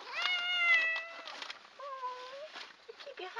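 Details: Domestic cat meowing close up indoors: a long drawn harmonic meow falling slightly, then a second shorter rising-falling meow and brief chirps, with a woman talking softly to it.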